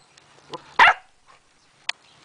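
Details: Norwegian Elkhound puppy about two months old giving a single sharp, high yip-like bark, with a few faint clicks and a person's voice right after.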